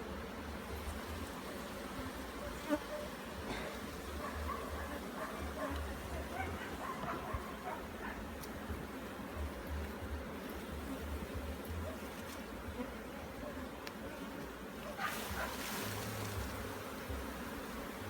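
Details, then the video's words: Bees at an opened hive during a beekeeping inspection in Jamaica, with uncapped honey in the frames. A steady, dense buzzing hum persists throughout, over low rumbling handling and wind noise, with a brief louder burst near the end. "JAMAICAN BEE HIVE INSPECTION"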